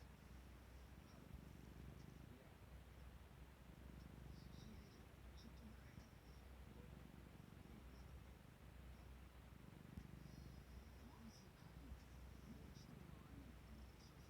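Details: Close, soft purring from a clingy domestic cat that crawls in to sleep where its owner is sitting. A faint low rumble pulses in slow breathing cycles, with light hiss and small rustles.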